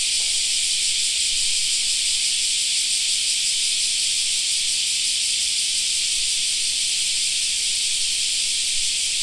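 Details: Summer park cicada chorus: a continuous, even, shimmering high buzz held at one level for the whole stretch, with no other clear sounds.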